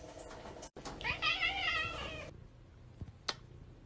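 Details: House cat producing a sustained, wavering meow lasting over a second against a constant background hum, then a couple of faint clicks.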